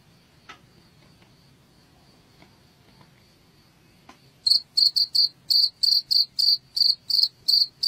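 A cricket gives high, pure-toned chirps in quick pulses, about three each second after a faint start.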